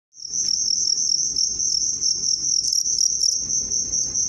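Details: A cricket (family Gryllidae) trills loudly and steadily, a shrill high-pitched ringing that runs without a break.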